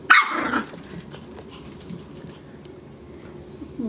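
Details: Maltese puppy barking while chewing on a rug indoors in Illinois: one loud, sharp, high-pitched bark at the start, then a quiet room with faint rustling.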